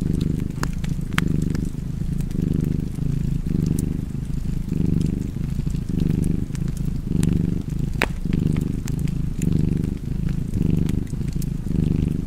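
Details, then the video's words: Low, continuous purring from a cat by the fireplace, rising and falling with each breath about ten times, overlaid with intermittent crisp crackles of burning wood. "Purring Cat and Fireplace"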